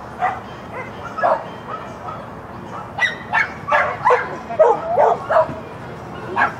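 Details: Schapendoes named Rover barking during a clean agility run in Stavanger on May 1, 2016, finishing sixth; a string of short, bright barks comes in quick irregular bursts, some yelping, over steady crowd murmur.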